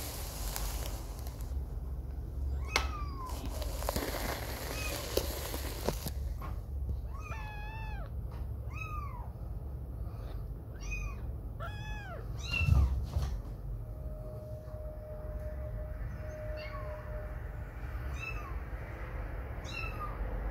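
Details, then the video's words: Young kitten staying away from its mother for the first time, playing and walking while she grooms; a run of short, high, arching meows repeats roughly every second in mid-clip, over steady low household hum and scattered knocks. "This Kitten Meows and Stumbles So Cutely"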